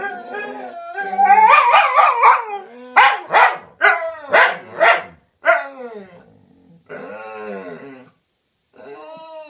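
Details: Dogs talking to each other, opening with a wavering yodel-like howl, then five sharp yips roughly every half second, followed by softer drawn-out whines.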